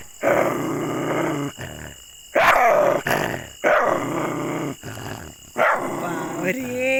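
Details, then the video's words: Aggressive dog producing sustained gravelly growls lasting over a second each, punctuated by a few sharp barks, while a woman's voice speaks in Hindi nearby. "ANGRY Dogs Barking Sound Effects (Aggressive Dogs Barking)"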